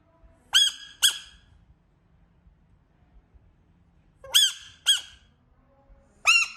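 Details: Frog giving sharp, harmonically rich squeaks in two pairs, each pair of short bursts about half a second apart, then a single squeak near the end; quiet indoor background between calls.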